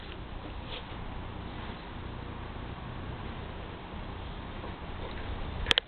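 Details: Wilson, a black Labrador Retriever, sneezes once: a single sharp, explosive burst right at the end, after several seconds of quiet, steady indoor room noise.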